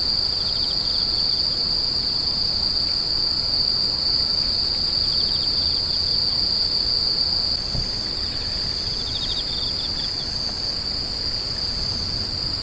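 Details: A continuous shrill insect drone sits on a single high note and dips slightly in tone after about seven seconds. Short runs of rapid lower ticking chirps come and go beneath it over a quiet hiss.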